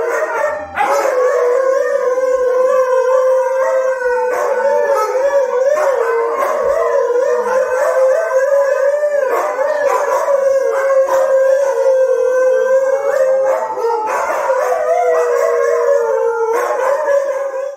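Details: Four Siberian Huskies, played police siren sounds, howl together in long, sustained, wavering tones.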